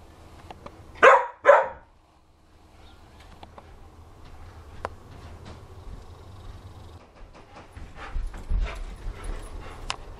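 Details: Dogs of mixed breeds (rottweiler, akitas, rough collies, japanese spitz) at play, filmed in 2009; two loud barks close together near the start, then quiet rustling and faint background noise.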